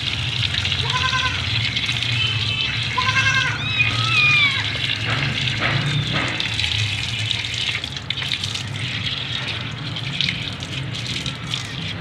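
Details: White Persian kitten in Gujranwala being showered, giving a few short, rising harmonic meows within the first four seconds, set against steady gushing tap water throughout.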